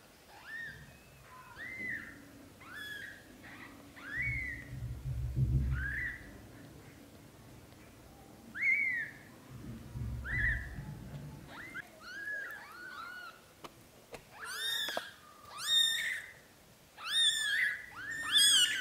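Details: British Shorthair kittens, a litter of three sons and a daughter born to Leo and Samel, during their first 30 days. High, arched, harmonic mews come repeatedly, growing shriller and denser toward the end, over low rumbling handling noise.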